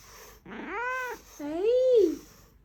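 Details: Coquettish, whiny kitten voice: two drawn-out harmonic meows, the first rising then falling, the second starting low, dipping and swelling louder before trailing off, in a quiet indoor room.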